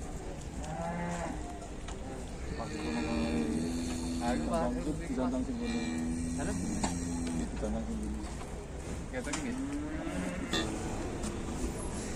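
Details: Cattle said to resemble Wariso, coming out of the pen at Setia Farm, Indonesia: a long, low, drawn-out moo with a rich harmonic tone swells and wavers for several seconds, with shorter low lowing before and after, and men talking throughout.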